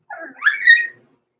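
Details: Six-week-old blenheim Cavalier King Charles Spaniel puppy, one of Roman and Blue, born November 14, 2022, in the Red Barn Cavaliers indoor puppy pen overnight. It gives one short, rising, squeaky whine that climbs and then fades away, with silence around it.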